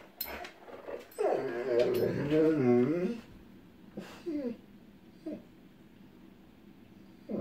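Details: Echo, a female pet dog who hates storms, whining as lightning flickers in the distance before any thunder: a long wavering, quivering whine lasting about two seconds, then a few short, soft whimpers in a quiet room.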